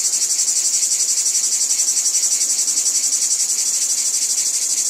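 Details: Shrill cicada chorus from a wheat field, a high-pitched wall of buzzing that beats in rapid pulses, about four a second, without a break.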